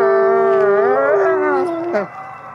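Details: Captive-born gray wolf howling at sunrise at a wolf conservation center in South Salem, New York: a steady drawn-out tone with rich harmonics, wavering slightly upward midway, then dropping off abruptly near two seconds.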